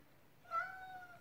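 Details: Single clear, sustained meow from an excited male Ragdoll cat begging for food, rising sharply at the start then holding a steady tone before fading.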